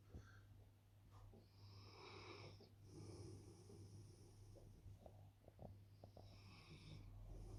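A Rottweiler snores in slow, rasping, wheezy breaths over a steady low hum.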